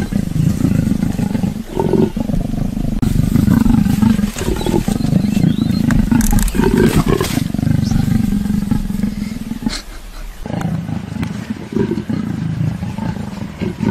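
Low, rasping growls from an African leopard roll on nearly continuously, broken by a few short gaps. The voice stays deep and throaty throughout, with rough snarling bursts rising out of the steady rumble.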